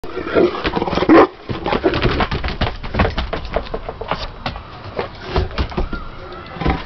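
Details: Two English Mastiffs, Willie and Raymond, playing: loud, rough roaring growls burst out in the first second and a half, then scuffling, thumps and lower grumbling sounds continue throughout.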